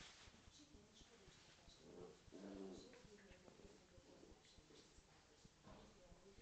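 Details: Corgi and Scottish Terrier playing together; a brief low, rumbling growl swells near the middle, over rustling scuffles and human voices in the room.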